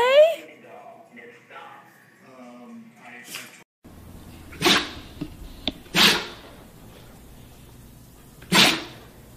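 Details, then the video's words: Dog sneezing three times, each a sharp broad hissing burst spaced a second or two apart, following a stretch of a woman's soothing talk and a short gap of silence. "Dog🐶 Sneeze, Dog🐶 Sneezing Shaking Head"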